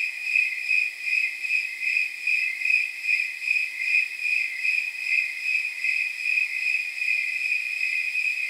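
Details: Night chorus of snowy tree crickets on a warm night near 79 degrees, steady bell-like chirps pulsing in a regular rhythm, over one per second, a continuous high ringing with nothing else heard.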